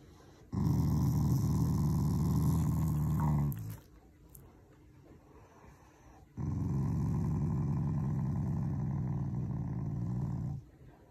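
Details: Loving family Shiba Inu growling while seeking affection, not angry: two long low rumbling growls, each about three to four seconds, separated by a brief quiet gap.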